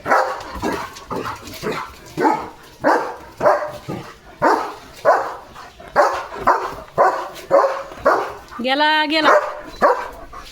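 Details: Leo, a pet German Shepherd, barks loudly while getting soaked and playing in the rain: short rough barks in quick irregular bursts, nearly two a second, with one rising-and-falling whine-like tone near the end and people talking.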